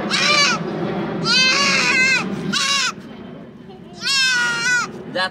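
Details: Goat during castration; loud, strained, wavering bleats in bursts of about half a second to a second, four main cries separated by pauses, with a low murmur beneath.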